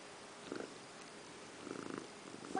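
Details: House cat named Indiana Piano Rabbit grooming in a bathroom sink; two short bursts of low, rattling purring, one early and a longer one past the middle, with quiet room tone between.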